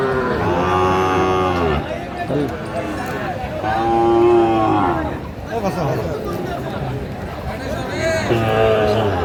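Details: Sahiwal bull calf at a busy cattle market in Kurigram, Bangladesh, 16 March: deep, drawn-out lowing at the start and again midway, partly covered by men talking loudly and market chatter.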